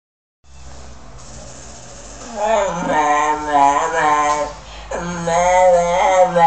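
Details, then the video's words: English Bulldog named Denzel 'talking', saying 'mama': two drawn-out, wavering moan-like vocalisations with rich harmonics, the first rising and falling at length, the second shorter and steadier, over a faint low hum. "Denzel saying mama!"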